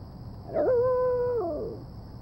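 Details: A female Shiba Inu gives a long, steady, whining cry that slides downward at the end while trying to get a kitten to play with her.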